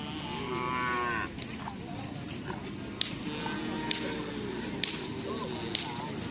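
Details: Madura cattle during training for a karapan sapi bull race at the Asemanis field in Pamekasan: a loud, drawn-out harmonic moo over the first second, then crowd murmur and sharp whip-like cracks roughly once a second.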